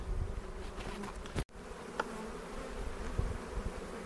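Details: Dense buzzing of honey bees during the season's second hive inspection, when a split was being made. A broad, steady drone is interrupted once by a sharp handling knock and a brief dropout.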